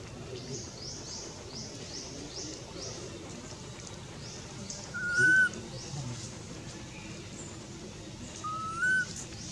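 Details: Baby monkey Anissa, super hungry, calls for her mom with two loud, clear rising whistled cries about three and a half seconds apart, set against a quieter bed of high buzzy insect-like chirring.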